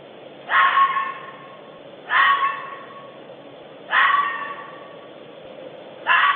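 A bobcat gives four harsh, wavering yowls, each about a second long, repeated roughly every two seconds, with a faint background hiss.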